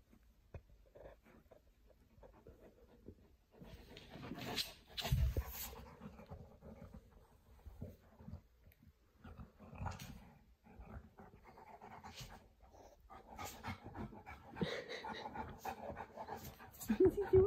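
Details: Kimber the Boerboel burrowing under a blanket to hide, breathing in fast uneven pants about three a second, mixed with rustling and shuffling of bedding that swells in louder bursts around the fifth and fifteenth seconds.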